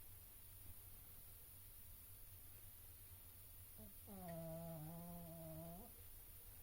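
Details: Oscar the pug asleep indoors, giving a single drawn-out snore of about two seconds. The snore is a steady, nasal, tonal drone with a faintly whistling edge, heard over a quiet room hum.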